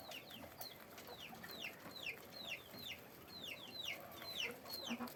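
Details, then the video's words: On a guinea pig farm, caged guinea pigs squeak in loud, clear falling whistles, roughly two each second, some doubled, with little other background sound. "guinea pig sound, guinea pig noise, guinea pig cage, sequeaking"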